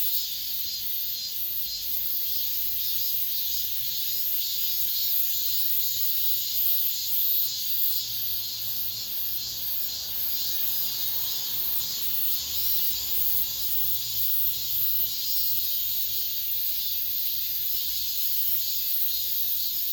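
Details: Cicadas in an apartment complex, the last of this summer, fill the air with a steady, dense, high-pitched buzzing hiss with a slight rhythmic pulsing throughout. A faint low rumble sits underneath.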